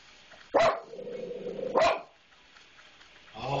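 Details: Pet dog barking at a maintenance man it dislikes, unusually fierce for it: two sharp, loud barks about a second apart with a lower grumbling sound between them, while a person eggs it on with "get him".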